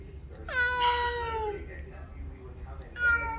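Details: Ginger house cat in New Zealand giving a sad meow, recorded on a trip to the vet and replayed to the cat family; one long, falling, strongly harmonic meow, then a shorter second meow starting near the end.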